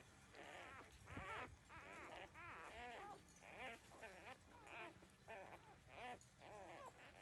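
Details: Puppies at thirteen days drinking their mother's milk; loud, wavering squeals and whimpers follow one another closely, rising and falling in pitch, with a brief low thump early on.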